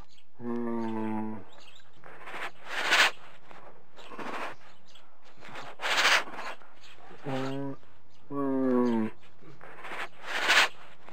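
Deep, droning honks from a hippopotamus come in bursts of a second or so. Between them are rough, airy wheezes and snorts, giving the familiar grunting wheeze-honk pattern.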